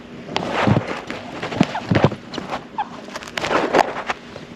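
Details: Pet chinchilla Loki, a grey cinnamon male born in 2015, in his everyday vocalising, a call the household's females never use: loud, harsh, honking bursts come in quick clusters, with a few brief squeaky notes between them.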